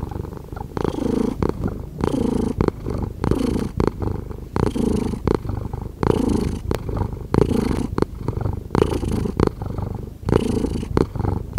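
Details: Rumbling purr of a house cat heard very near, rhythmic buzzy pulses following its breathing roughly every second, steady in loudness, with no other sounds.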